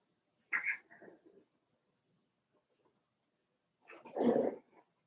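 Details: Daisy's Cavalier King Charles Spaniel puppies, four weeks old, in an indoor puppy pen: two brief bursts of whiny yelping, the second louder and longer, with silence between.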